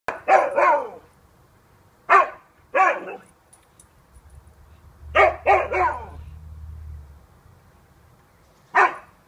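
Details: A Siberian Husky barks at some bags, giving sharp, hoarse barks, singly and in quick doubles and triples, with pauses between.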